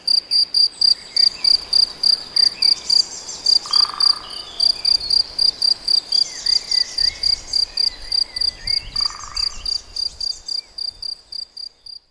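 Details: Cricket or grasshopper chirping in the Nagyerdő forest near Debrecen, Hungary: quick, high, evenly spaced pulses about three or four a second, with softer bird whistles and a few descending notes in the background.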